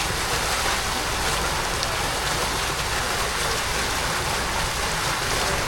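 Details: A constant wash of rain-like or splashing water noise fills the recording from start to finish. No calls, songs or other animal sounds stand out.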